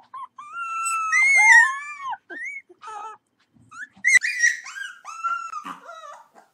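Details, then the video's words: Puppy giving high, thin, wavering howls and whines that rise and bend down, in several short bursts with a brief silent gap near the middle. "Cute Puppies Howling"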